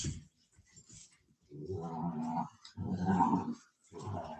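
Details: Cane Corso (Italian Mastiff) at a breeder's kennel west of Nashville, Tennessee, giving low rumbling growls in three long bursts separated by short pauses, indoors with a faint scuffle between them.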